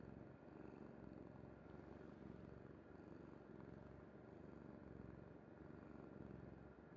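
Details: Kuri, a pet cat, sleeping soundly on her mother's bed, purrs in a steady, low, rumbling pulse that continues without a break; a faint constant hum sits in the background.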